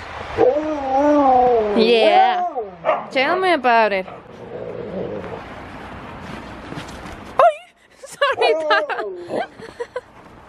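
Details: Huskies wrestling in play: long wavering, yodelling howl-whines that swoop up and down, followed by quick choppy yelps. A short pause with soft rustling falls between, then more high wavering cries.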